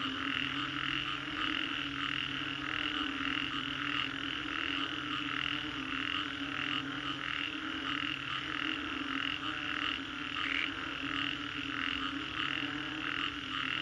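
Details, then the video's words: Many frogs croaking after a storm along Green Corridor, Singapore, a pulsing chorus beating several times a second, with a low intermittent hum underneath. "Frogs after Storm, Green Corridor, Singapore"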